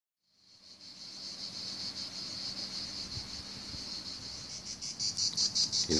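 A cicada sings a loud, continuous high buzz that breaks into rapid pulses near the end.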